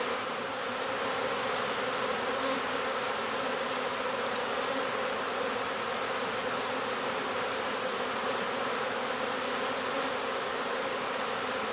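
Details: Many honeybees of a swarm in the air together, producing a constant, full-bodied humming drone with no pauses, steady and unchanging from start to finish.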